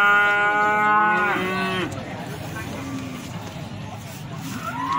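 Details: At Plaosan cattle market in Magetan, a feeder bull or cow gives one long, loud, richly harmonic moo lasting almost two seconds, which ends abruptly. Quieter lowing and people talking continue afterwards.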